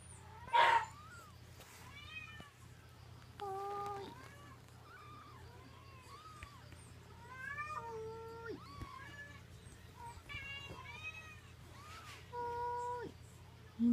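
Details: Three-week-old Munchkin kittens mewing: short arched squeaks and longer flat, wavering cries at irregular intervals, several callers, over a constant low electrical hum and occasional bumps.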